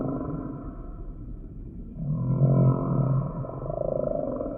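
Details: Humpback whale song: a deep, buzzy, harmonic moan swells in the middle and fades into a softer tonal tail, over a low underwater rumble.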